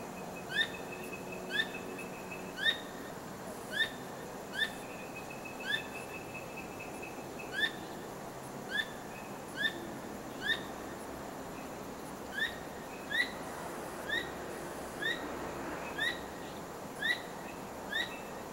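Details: An unusually vocal squirrel calls at night, its tail wagging the whole time. A steady series of short, bright chirps roughly every second continues for the whole stretch, with faint thin whistles early on and a constant hiss underneath.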